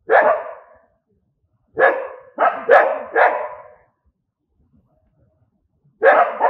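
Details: Angry dogs barking: five loud, harsh barks in two bursts, a single bark then a quick run of three, followed by a pause and another double bark, against a silent background.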